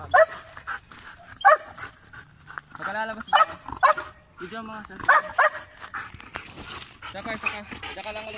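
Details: Belgian Malinois training for urban search and rescue on rubble, indicating aggressively; sharp barks mixed with people talking, some harmonic vocal sounds between barks, irregular spacing across the clip.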